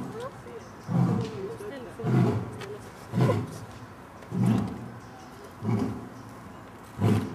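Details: A pair of adult lions, the parents of three cubs, give a short roaring concert at Dortmund Zoo in autumn 2009; six low, booming grunts come roughly every 1.2 seconds, each swelling and fading.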